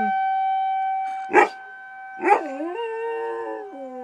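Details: Riley, a dog responding to a tornado siren, gives two short yelping bursts about a second apart. A wavering howl follows, dipping and rising before stepping down, while the siren's constant droning tone continues behind.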